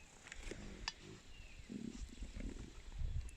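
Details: Lions at Mala Mala in the Kruger area, walking around and vocalizing, give deep, low roaring grunts in a repeated series, advertising their presence over the territory.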